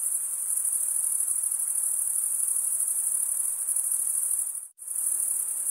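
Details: Crickets stridulating, a dense, steady high-pitched trill of rapid pulses that runs unbroken except for a brief sharp dropout near the end; no other sounds.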